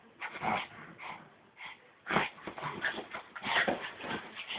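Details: Brussels Griffon dog, excited and wild, giving bursts of high, squeaky whimpers and sharp yips, several rapid cries packed together, with brief quiet gaps between outbursts.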